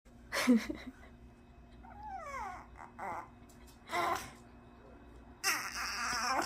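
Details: A baby puppy whimpering while refusing to sit on command, indoors. A thin whine slides downward in pitch midway, with short scuffing and rustling bursts before and after it.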